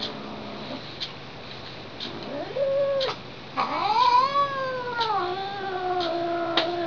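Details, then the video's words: Lily, a house cat, is unhappy about being tapped and gives drawn-out yowls that swoop upward and bend like a theremin: a short rising wail, then a longer sliding howl rich in overtones. Faint periodic ticks are heard in the background. "Cat as musical instrument"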